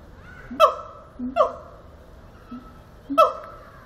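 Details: Siamang singing at Zoo Antwerpen: short low booms, each followed by a sharp, bark-like call whose tone sweeps quickly downward. Three loud pairs and one fainter pair come at irregular intervals, under a quiet indoor hum.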